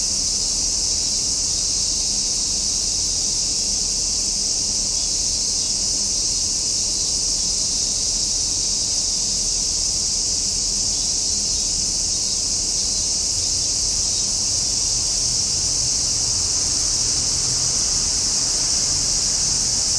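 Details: Summer cicada chorus, a continuous bright metallic buzz at an even loudness for the whole stretch, with no clear pauses or pulses and a soft low background murmur.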